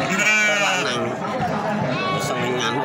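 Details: Gibas sheep at the goat market in Babat, Lamongan, bleating in a nasal, wavering cry in the first second, then a second shorter bleat, over steady crowd chatter and people talking nearby.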